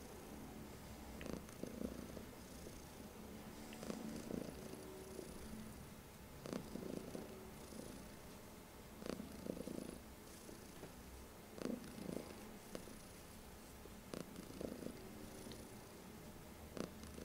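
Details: Female pet cat named Heliana purring on her owner's lap, her favourite place; steady low rumbling purr swelling in pulses roughly every two to three seconds, with a faint hiss of room noise behind.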